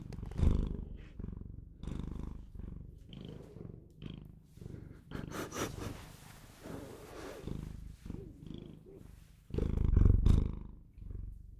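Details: Close, loud purring from a pet Bengal cat: continuous low vibrating rumble pulsing with each inhale and exhale, a few heavier thumps near the start and end, faint handling rustles throughout.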